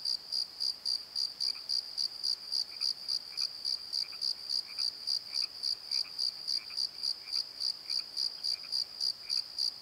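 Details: Night chorus of crickets in a valley bottom: rapid, regular high chirps roughly three to four per second, with a fainter second caller's softer, lower chirps interleaved in the middle section.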